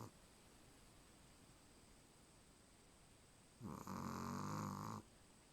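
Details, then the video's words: Charlie, a Chihuahua, snores while fast asleep: after quiet breathing, one rough harmonic snore lasting over a second, with a deep buzzing base and a brighter nasal band above. "Как храпят чихуахуа?"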